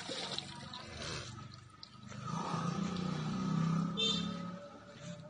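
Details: Village cow giving a low, drawn-out moo of about two seconds in the middle, with a steady thin tone running underneath and faint background noise before and after.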